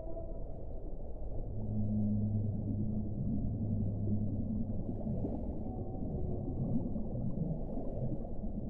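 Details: Whale, from a long relaxation compilation: deep, sustained humming moans in two low layered tones lasting a few seconds, set in a heavy continuous underwater rumble, with faint higher tones at the start.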